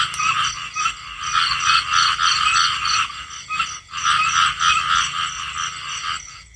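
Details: Many small frogs croaking at once in a thick, buzzy chorus of quick repeated notes. The sound swells and fades in waves, briefly thinning near the middle, then resumes just as busy before tailing off at the end.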